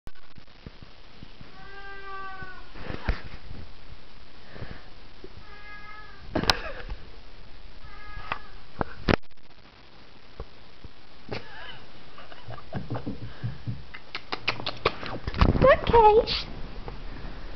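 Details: Siamese cat making drawn-out, harmonic meows, three of them a few seconds apart, amid clicks, rustling and handling noise, with a woman speaking near the end.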